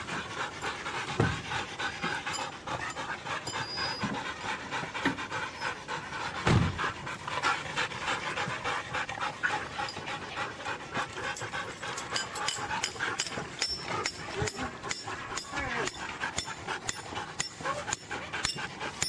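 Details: Siberian huskies at a sled-dog race in East Anglia, England, panting hard in fast, breathy, rhythmic bursts that run without pause for nearly twenty seconds, over steady outdoor background noise.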